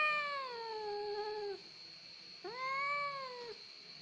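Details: Cat described as easily crying, giving two long, drawn-out mewing cries, the first falling slowly over about a second and a half, the second rising then falling, over a steady high electrical hum.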